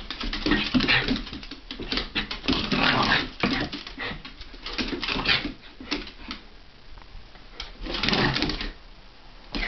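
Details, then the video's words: Havanese and Jack Russell dogs play fighting and wrestling indoors in January 2010: bursts of rough growling and whimpering noises rise and fall in clustered waves, mixed with scuffling clicks in a small room. "Monty and Calvie play fighting/wrestling (Havanese and Jack Russell)"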